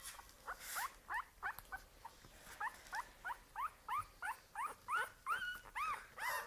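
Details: Two female Staffordshire Bull Terrier puppies from one litter give a rapid series of high, squeaky whines, about three each second.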